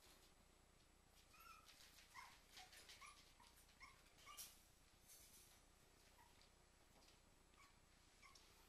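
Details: Cairn Terriers Lycka and Twister, two dogs: soft, high whimpers and yelps come in a quick run of short rising notes about every half second, then trail off into faint hiss and a few scattered later whines.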